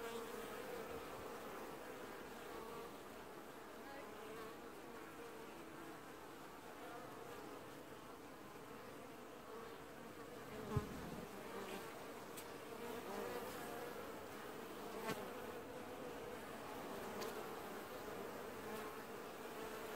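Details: Honey bee colony washboarding at the hive in an apiary, early July 2019; constant droning buzz with a banded mid tone, plus a sharp knock near eleven seconds and a few faint clicks.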